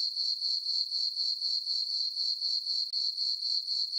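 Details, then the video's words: Crickets in a farm meadow on a moonlit summer night produce a piercing, steady chirr that swells in regular beats near four per second, alone in the quiet. "Cricket chirping sounds for sleeping"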